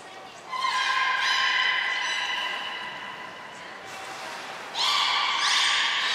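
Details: Belugas Hodoi, Taanya and Mirai at Port of Nagoya Public Aquarium during a pool transfer and training session, February 23, 2021; bright, harmonic-rich tonal calls held steady for several seconds, a pause, then a second loud tonal burst, in a reverberant indoor hall.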